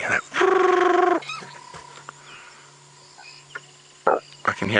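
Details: A banded rubber frog calls at sunset on an African game reserve drive after rain, March 5, 2017, as frogs start calling: a loud, ringing trill about a second long over the vehicle's low engine hum.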